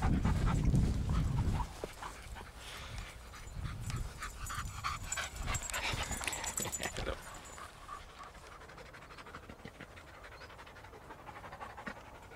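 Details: A Patterdale/Lakeland cross named Ramsey, still a little shy, walks with Ellie, Holly and Markus for the first time. Quick, breathy panting comes in a steady run through the middle seconds, after a loud rumbling thump at the start, then fades into quiet ground noise.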